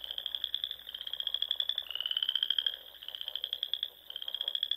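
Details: Frogs in spring in the Sandhills of Nebraska at dusk, calling near ponds: a loud, high, rattling trill, slightly drooping in pitch partway through, carries on continuously while fainter trills overlap behind it.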